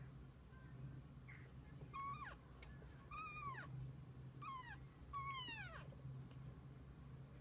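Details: Kittens and mother cat passing the day together: four distinct meows, each rising then falling in pitch, spaced about a second apart, the last longest and loudest, over a low constant hum.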